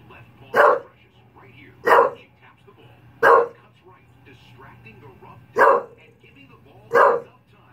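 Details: English Bulldog barking while watching the Puppy Bowl on TV: five loud, short, rough barks spaced about one to two seconds apart, with a faint steady hum and low background voices.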